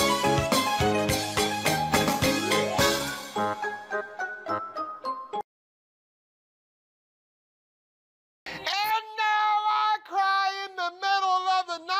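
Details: Bright jingling music plays, cuts to three seconds of silence, then resumes with a chiming melody.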